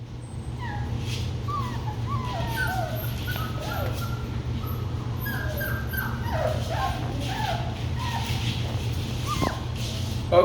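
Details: Several young Labradoodle puppies, litter expected to grow to standard size, whimper and squeal in overlapping high, wavering cries that rise and fall throughout, with a steady low hum underneath.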